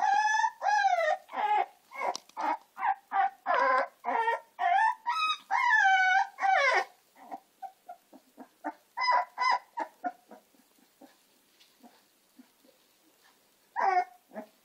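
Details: American Staffordshire terrier puppies, Gina and Zeus, give a dense burst of shrill, wavering yelps and whines for seven seconds, thinning to softer chirps, then near quiet before one last loud yelp.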